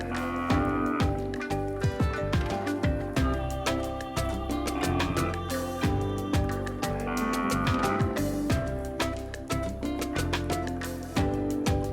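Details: Steady rhythmic music with plucked and percussive notes fills the whole stretch, and no animal call stands out.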